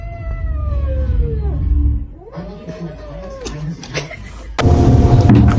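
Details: Domestic cat giving a long, drawn-out meow that slides downward, followed by a second arching meow that rises and falls. A low steady hum sits underneath, and loud noisy sound bursts in at the end.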